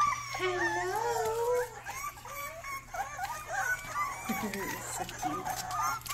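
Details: Rottweiler puppy indoors making some of its first barks: wavering, tonal whines and howl-like yelps sliding up and down, a long drawn note early on, then shorter rising and falling cries, with faint human voices in the background.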